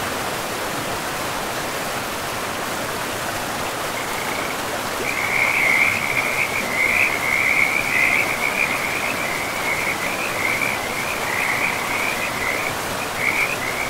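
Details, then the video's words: Forest river frogs: only rushing water for the first four seconds, then a dense, high, rattling trill chorus swells in and continues with brief gaps, the steady river noise underneath throughout. "River and Frogs sleep sounds"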